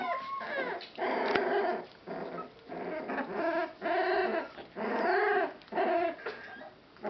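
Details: Rescued Boston Terrier/Pit Bull mix puppies crying loudly: drawn-out, wavering whines about half a second to a second long, repeated roughly once per second with brief pauses between.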